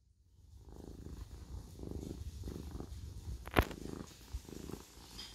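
A Siamese cat purrs steadily, a low rumbling vibration swelling and easing with each breath.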